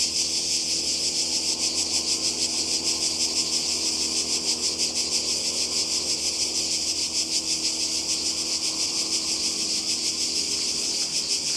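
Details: Croatian seaside cicadas, summer 2020, keep up an intense high-pitched rasping drone, beating in quick regular pulses from start to finish over a soft low background.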